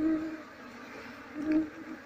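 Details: Brief burst of Asian honey bee colony hum during a search for the queen before moving the bees into a box: a steady low drone swelling louder twice.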